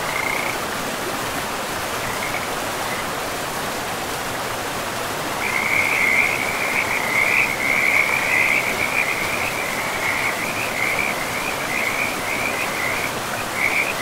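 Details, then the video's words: Frogs calling beside a river in a pristine forest with mossy ground; a few scattered chirps early on, then a dense, rapid run of high raspy croaks from about midway, steady in pitch, over a constant rushing of river water. "River and Frogs sleep sounds"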